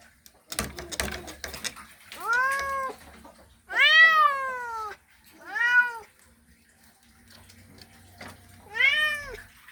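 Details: Caterwauling male cat calling a female during mating season, four arched yowls of varying length after a burst of rustling clicks, with a low background hum between calls.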